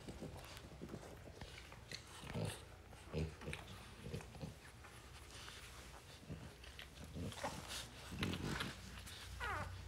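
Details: French Bulldog. French Bulldog puppies make scattered high yips and thin, whiny squeaks, broken by snuffling and scuffling noises. A person talks now and then in the background of a small indoor room.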